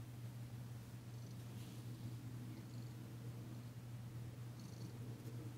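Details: A female domestic cat named Danci purrs steadily while receiving a massage, February 9, 2022; the low rumbling drone holds level throughout, with slight handling noises.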